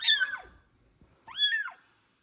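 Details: Foster kitten, a male in Ukraine with eye problems, placed in a heated vet box apart from his sibling, gives two loud, shrill meows wanting out, the first sliding downward, the second arching up then falling.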